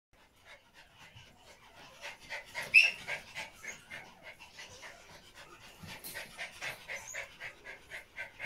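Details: A Pomeranian mother resting with her puppies in the morning, deeply relaxed; soft, rapid rhythmic panting or breathing pulses, about two per second, quiet and close.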